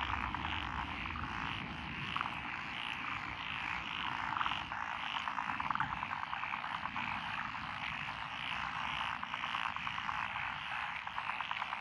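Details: Frogs calling in lotus paddies on a country road, Echizen City, Fukui, Japan, 12 June 2021; species include Japanese tree frog, daruma pond frog, wrinkled frog and green tree frogs. Continuous chorus with rapid pulsing croak series and faint low rumble.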